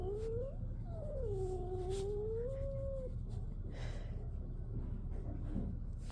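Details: Fostered male shelter kitten, born June 2023, yowling indoors at another cat; a rising then dipping wail lasting about three seconds, followed by quieter scuffling and brief noises, with faint music in the background.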